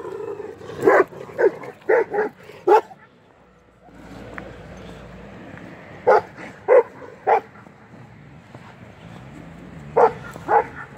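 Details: Purebred female Kangal dogs barking in short bursts: a run of four or five sharp barks, a pause, three more, then two near the end, with a man's voice and background murmur between.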